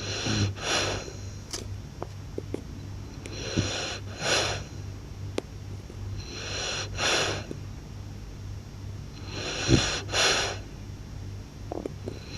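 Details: Loud sleep snoring from a blue-coated French Bulldog. Paired raspy breaths return roughly every three seconds, with faint clicks between them and a constant low hum behind.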